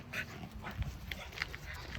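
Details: Outdoors on a walk as Bokdori faces a group of five local dogs, short sharp yips sound about a second apart, fairly faint against a constant hiss with low rumbling noise.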